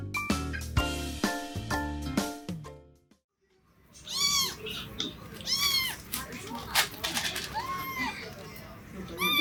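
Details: Male Japanese domestic kitten, brown tabby and white, 50 days old: after about three seconds of music and a brief silence, high arched meows rise and fall, repeated about once a second with rich harmonics.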